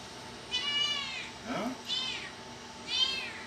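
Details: High-pitched kitten meows in a small room. Three drawn-out cries, each bending up and then down, spaced roughly a second apart, with a short human murmur between the first and second.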